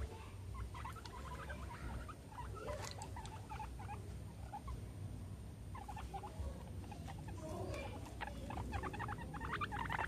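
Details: Guinea pigs Meadow and Sandstorm, kept as pets and playing around a soccer ball and an American football, let out bursts of short squeaks separated by quieter stretches, with a low rumbling hum throughout.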